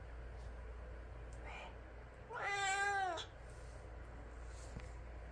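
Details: Indoor pet cat reacting to stray cats fighting outside utters one drawn-out, strongly harmonic meow lasting nearly a second, preceded by a faint short chirp; low steady hum throughout.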